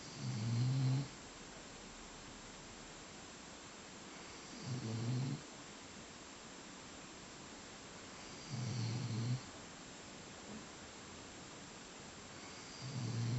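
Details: After breakfast, an English Pointer dog sleeps and snores steadily: deep, gravelly rumbles repeated roughly every four seconds, each about a second long, with near silence between them indoors.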